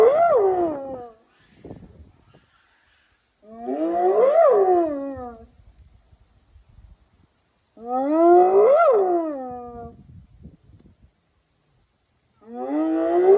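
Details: Charlie, a zoo spotted hyena, gives long, rich, rising-then-falling wailing calls about every four seconds, apparently answering a lion grunting up the hill.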